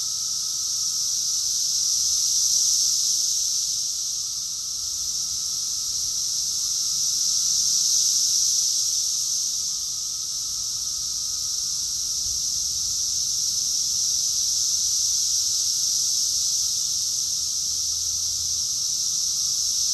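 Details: Cicadas in chorus at Rockville, Maryland, USA, in June 2021. Many insects merge into a steady, shrill droning buzz that rises and dips gently every few seconds, with faint low background rumble.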